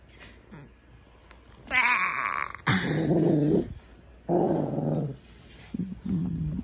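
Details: Male pet Shih Tzu 'talking', trying to communicate with its owner: three loud, throaty, grumbling growls of about a second each, with a couple of softer, shorter grumbles following, and quiet pauses between.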